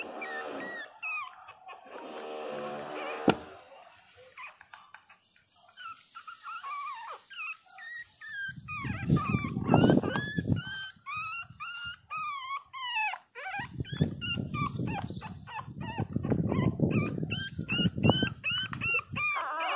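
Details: Loud crying from Pinscher puppies at 22 days of age: dense strings of quavering high whines, with bursts of low rumbling noise and handling sounds.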